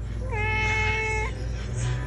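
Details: Domestic cat uttering one sustained, steady harmonic meow about a second long with a slight rise at the start and end, over a low hum and background music.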